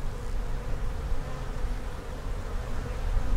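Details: Thick, even humming of many honey bees in an opened hive being inspected for queen cells and signs of swarming, a dense low drone without pause.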